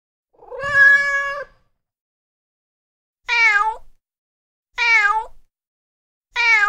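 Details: Male cat in heat: one long level meow followed by three shorter, insistent calls that dip and wobble, repeated roughly every one and a half seconds, faint low thumps beneath.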